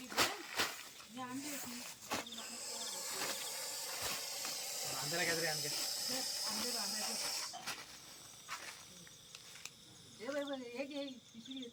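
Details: Russell's viper that came to a house, caught and released by a snake rescuer. A long, even hiss of about five seconds runs under men's conversation, followed by more speech.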